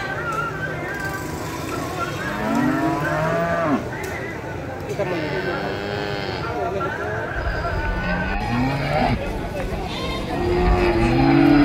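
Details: Cattle at an animal buying and selling market: many overlapping short moos and lowing calls from several animals throughout, blended with crowd chatter and low engine rumble, a louder moo near the end.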